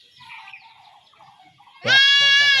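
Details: A village goat kid in rural Bengal undergoing home castration lets out one sudden, loud, buzzy bleat near the end. Quiet talking comes before it.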